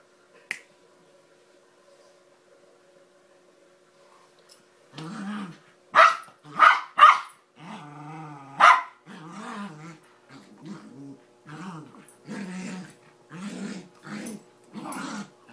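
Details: Small dog attacking a Doberman: after about five seconds of near silence, a run of sharp barks breaks out, then harmonic growling snarls and further barks repeated roughly every second until the end.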